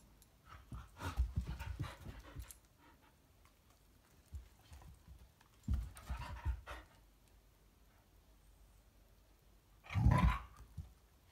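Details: Eski, a Belgian Shepherd, pants while trying to get Pie, a Maine Coon kitten, to play indoors; rapid breathy panting in three bursts, the last loud and close, with quiet pauses between and light thumps.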